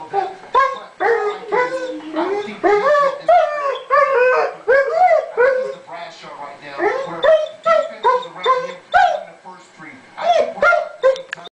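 A Weimaraner gives a run of short, wavering howls that rise and fall, sliding into whimpers, several each second. It is howling from missing a friend who has gone away, and a person's voice may mingle in.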